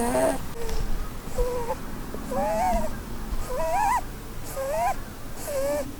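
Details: Blueberry, a female Holland Lop rabbit, snoring while asleep and dreaming under a Christmas tree; irregular squeaky whistled notes, some rising and wavering, separated by short pauses, over a soft low background hum.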